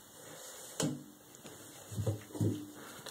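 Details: Indoor room noise with a sharp knock and a few soft thuds and rustles; no animal voice is heard.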